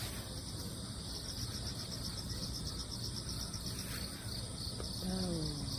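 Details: Crickets calling after a typhoon, with cats playing on a ladder knocked over by the storm; high rhythmic chirps about four per second over a constant shimmering chorus, a brief click, and a woman speaking near the end.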